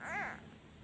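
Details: Abandoned kitten missing its mother, crying when a hand is taken away; one short arched meow, rising then falling, in a quiet small room.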